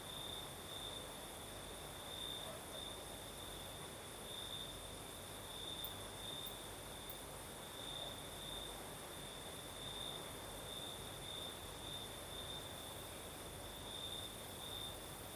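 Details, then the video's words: Crickets sing through a Crimean night in the south with a light breeze; a constant shrill trill carries brighter pulsing bursts every second or two, set against a steady airy rush of wind. "Сверчки поют"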